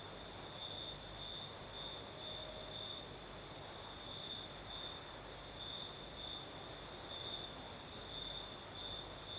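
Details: Crimean crickets sing through a southern night with breeze: an unbroken shrill trill pulsing in brief beats, backed by a fine high-pitched hiss and faint low rumble.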